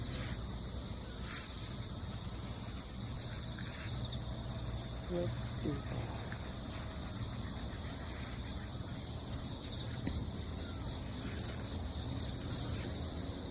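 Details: Crickets calling after a typhoon, as cats stroll over the damp ground: a steady high, pulsed chirping chorus with rapid beaded trills throughout, low rumbling background and a brief voice.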